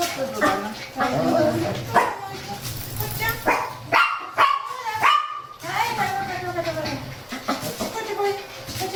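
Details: Complaining Shih Tzu on a cool morning walk alongside a playful Miniature Pinscher, giving yips and drawn-out tonal whines, some rising then falling, while people talk throughout.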